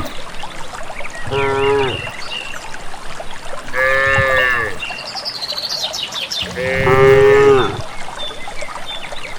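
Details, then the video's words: Cows of a village herd walking to grazing land low three times at roughly two-and-a-half-second spacing, each moo rich in harmonics and gently falling, with birdsong and trickling water around them. "suara asli khas sapi"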